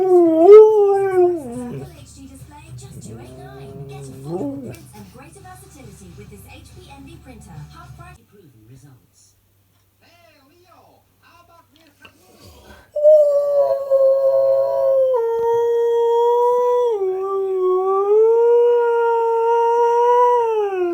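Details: Siberian Husky's morning discussion: wavering, whiny vocal sounds over a person speaking, then a quiet gap, then a long steady howl with a gently undulating pitch.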